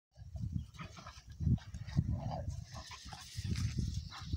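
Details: Two young Cane Corso Italiano dogs, father Conor and son Bala, play fighting; low, rough growls and grunts come in uneven bursts throughout, with scuffling and short louder snarls near the middle.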